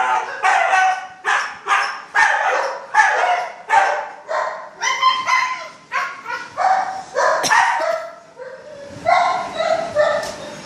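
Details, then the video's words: Two huskies, Kingsky and Queency, overexcited before their morning walk, give a run of rising and falling yowling howls and yips, about one every second, dense harmonic voices overlapping with no quiet gaps. "Kigsky and Queecy wants to go on morning walk.... And they were overexcited puppies...."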